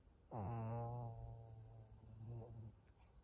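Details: Pug Maria, a thirteen-year-old fawn senior female in Japan, recorded at 22:51 on 25 June 2023, gives a low, steady, droning snore lasting about two seconds, rough and buzzy with a slight rise at onset, in a quiet room.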